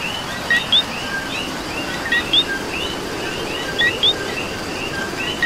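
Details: Puerto Rican coqui repeating its co-qui call four times, each a brief low note followed quickly by a higher rising whistle, at regular intervals of about 1.6 seconds amid a chorus of more distant frogs and rain.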